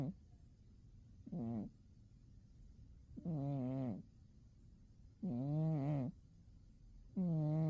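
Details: Domestic cat snoring while asleep in winter: four low, harmonic, slightly wavering snores, each about half a second long, coming roughly every two seconds with quiet breathing pauses between them.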